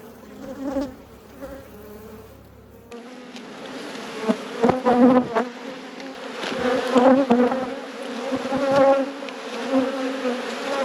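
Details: Colony of honey bees in a beekeeper's apiary, hive open for inspection. Dense continuous drone of many wings, swelling and fading in loudness, with brief clicks and handling noises throughout.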